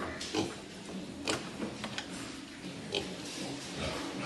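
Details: Farm-raised breeding wild boar at Cô Út farm make scattered short, harsh grunts and snorts. Each is a brief, noisy burst separated by quieter snuffling, with a low rumble of background noise throughout.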